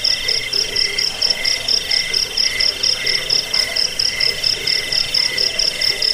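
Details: Cricket sound offered to drive away rats, lull to sleep and train songbirds; steady high-pitched pulsed chirping in several layered tones, beats repeating rapidly, with faint lower pulsing notes underneath.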